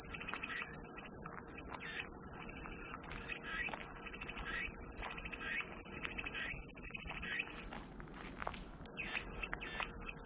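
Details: Cicada chorus offered as calming white noise: a steady, high, hissing drone that holds unbroken for most of the stretch, cuts out for about a second near the end, then resumes, with faint softer chirps beneath.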